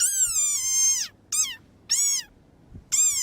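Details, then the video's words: Desert rain frog (Breviceps macrops), about 4 cm, from coastal Namibia–South Africa, gives shrill, squeaky cries that slide downward, the sound it makes when angry. "In case you're wondering what you just heard, that is the sound that a desert rain frog emits when they are angry."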